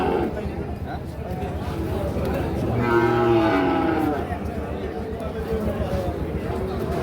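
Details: Sahiwal bull calves for sale at Ambari cattle market, Parbatipur upazila, Dinajpur district, Bangladesh, September 2025; a deep, resonant low rises to a peak midway, set against dense market chatter and men haggling over prices.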